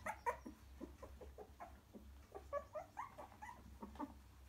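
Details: Young cockapoo puppies, three weeks old, settling beside their mother in the nest: a steady patter of soft squeaks and mewing whimpers from several pups over a constant low hum.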